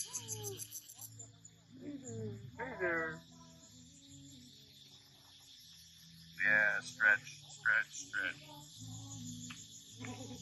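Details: Island cat on Koh Chang, Thailand, meowing while people play with it. Human speech comes first, then four short, bright, rising-falling meows about half a second apart. A steady high insect hum runs underneath.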